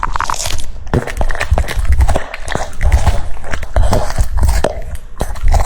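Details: French Bulldog eating cucumbers indoors, crunching and biting in quick irregular bursts, wet chomps with sharp cracks between short pauses, close to the microphone.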